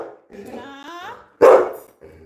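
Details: Pet Labrador Retriever Coco, scolded for being naughty all day, lets out a wavering, rising whine followed by one loud, sharp bark.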